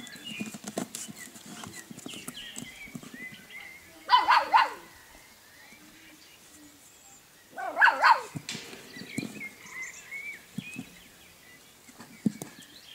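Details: Golden Retriever puppies at play at a kennel; two short, loud harmonic yelps about four seconds apart, over rustling and pattering movement with faint bird chirps behind.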